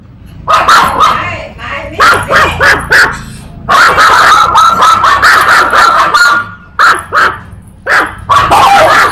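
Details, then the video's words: A small, cute puppy barks loudly in rapid bursts of high, yappy barks, with brief pauses between runs and a person's voice now and then. "เสียงหมาเห่า หมาน้อยน่ารักเห่า ตัวเล็กนารักเห่าเสียงดัง"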